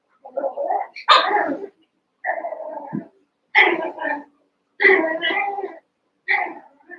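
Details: Cavalier King Charles Spaniel puppies, eight young pups together in a barn pen, some seven weeks old, wrestling and playing; six bursts of harmonic yelping growls and whiny barks, each under a second, with short gaps between.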